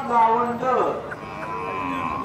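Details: Kosa Khillar cattle in the champion group at the 2024 Pusegaon cattle exhibition in Maharashtra; a low, drawn-out harmonic moo that slides downward, then fades under softer voices and background murmur.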